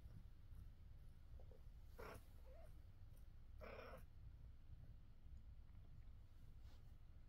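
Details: Mother cat with her kittens gives two short, loud meows a couple of seconds apart over a steady low rumble; faint soft sounds in between.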